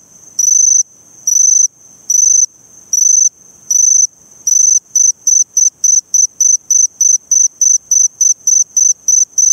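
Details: A Eurepella cricket at Eighty Mile Beach, Western Australia, shows its variable call: several long, shrill bursts spaced over a second apart, then a switch to quick short bursts repeated about three times a second.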